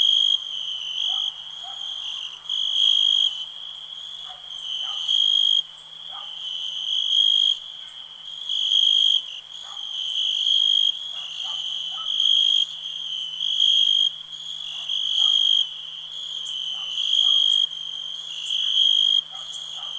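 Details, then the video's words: Cricket chorus with a constant shrill, high-pitched ring broken by short, uneven bursts of louder pulsed chirping, several per two seconds, and faint scattered lower chirps behind. "Nature sounds, cricket relax"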